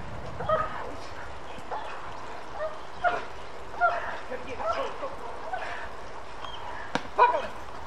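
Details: German Shepherds, the Kraftwerk K9 parent dogs, during protection work training: short harmonic barks come in uneven bursts, roughly six across eight seconds, mixed with a man's voice and steady low background rumble.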